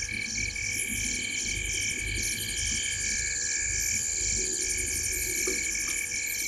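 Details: Night chorus from frogs perched in a tree by Gowrie dam on Djuma Game Reserve, Sabi Sand Wildtuin, South Africa, at 19:33, 05/07/2023: overlapping fast pulsing trills and continuous high ringing notes, repeated over and over.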